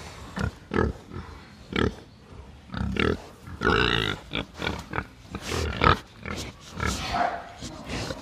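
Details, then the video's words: Pigs on a farm in the Philippines oinking: short, low, nasal grunts in irregular bursts, roughly one or two each second, some rising into brief squealier notes. "Sound of Pigs Oinking in the Farm"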